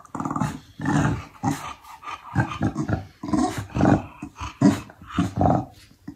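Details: Chow Chow dog giving a string of low, rough growls and grumbles in short bursts, about one every half second to second, with brief quiet gaps between them.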